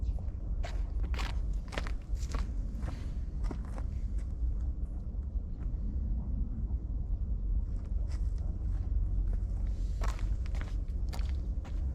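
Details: Outdoor footsteps and crunching over a deep, rumbling background, with no animal calls.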